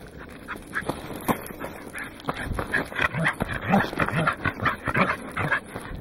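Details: Goro, a Welsh corgi, on the summit of Mt. Oyama on 27 October 2009, captured on a Casio Exilim EX-F1: short, rough barks repeated about twice a second, uneven in spacing, over steady outdoor background noise.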